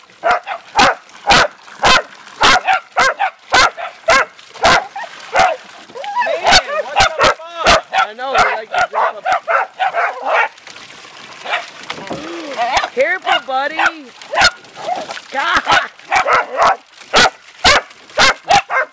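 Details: A family pack of Beagle and Dachshund dogs having fun in water gives a run of rapid barks mixed with wavering, whimpering yips, while people chat and laugh nearby.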